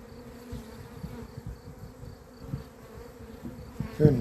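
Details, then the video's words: Honey bees, said to have gone crazy on 28 April 2026 and expected to enter shortly: a steady low hum with an overtone beneath rumbling handling noise, ending in a loud bump. "albinele mele au luat-o razna"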